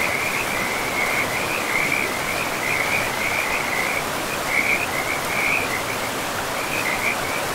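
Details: Frogs by a forest river call in high, rattling trills that follow one another closely and form a near-continuous chorus. Loud, steady rushing river water runs underneath.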